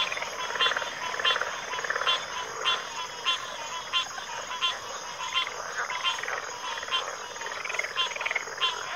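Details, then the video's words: Several frogs calling together in a backwater chorus: rhythmic sharp clicks about 92 a minute mixed with buzzy, pulsed rattles, over a continuous high-pitched hum. "Backwater Chorus, & Frog Chorus"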